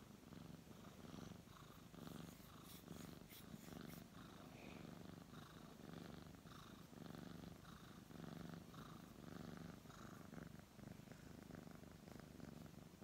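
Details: Brown tabby cat being stroked, purring in a low vibrating drone with breath-by-breath swells; a brief burst of crisp rustling and handling noise early on, then the purr continues evenly.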